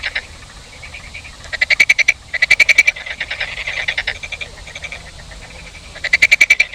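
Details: Loud, ratcheting frog croaks in quick pulsed trains, several short bursts with brief pauses between them, more than one frog calling at once.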